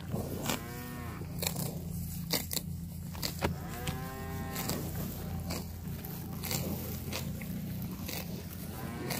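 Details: Cattle roaming a park of fresh grass while grazing; two moderate, drawn-out moos rise and fall amid steady crunching and tearing of grass, sharp clicks and a constant low rumble.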